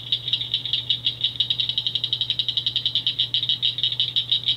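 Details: Cricket frog, a rare Ontario caller found only on Pelee Island, active May into July; a fast, dense series of high rattling clicks, nearly continuous, over a low steady hum.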